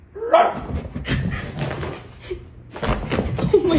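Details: A pomsky, prompted to bark at its owner's command, gives short, high yips and whiny barks, with a person's voice in between.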